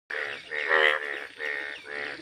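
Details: A frog, with lotus flowers, giving four harsh, nasal, buzzy croaks, each about a third of a second long, repeated roughly every half second.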